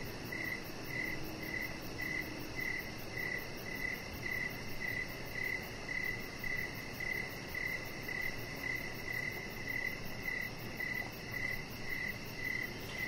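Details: Outdoor evening crickets near a deck with decoration lights: a long, even run of sharp chirps, about two per second for over twenty repetitions, layered on a constant shrill insect drone and faint low rumble.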